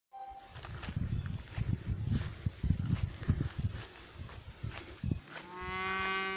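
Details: Cows in a pasture, one black cow coming close to the camera to sniff; a cow gives a steady, low, drawn-out moo after several seconds of rumbling background thumps.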